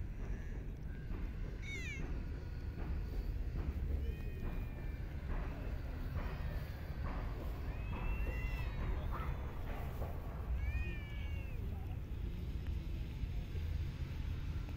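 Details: Homeless cats fed on city streets and in parks; scattered soft meows, short and arched, recur every few seconds through a long stretch of heavy low-frequency traffic noise.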